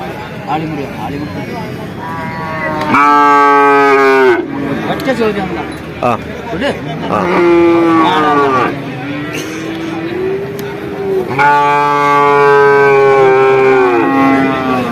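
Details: Young bulls at Vaniyamkulam market, Kerala, India: three loud, tonal bawls around seconds three, seven and eleven, the last the longest at about three seconds, with men bargaining and background chatter between calls.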